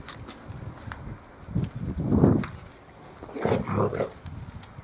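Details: Bearded Collie puppies romping together on a roof terrace give two low, rough, growling grunts about a second apart amid scuffling play sounds.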